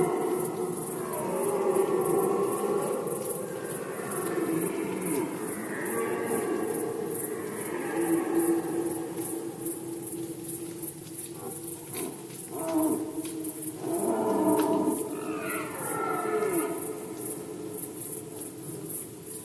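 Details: Rutting red deer in Poland, 2020, heard as a series of overlapping, rough, moaning roars rising and falling over nearly twenty seconds. Some brief clatters sound in the middle, and a constant high rhythmic chirring carries on behind.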